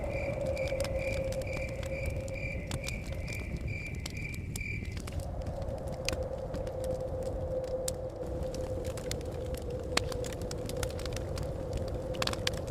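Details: Crickets chirping near a forest cabin: a high, evenly pulsed trill for about five seconds, then fading, over a steady lower hum, with a crackling fire and low blowing wind throughout.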